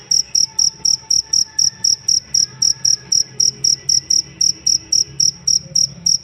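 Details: Cricket chirping, recorded as a master sound for training songbirds: bright, high-pitched pulses repeated steadily about four times a second, some twenty-three in a row, over a faint low hum and soft background tones.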